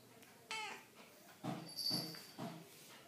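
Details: Siamese cat answering its owner as she talks to it indoors: a short bright meow near the start, then three voiced syllables from the speaker's questions, calm room background.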